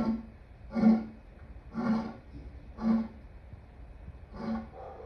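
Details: Lion giving a series of low, breathy grunts, one roughly every second, with the top end sounding dulled and muffled.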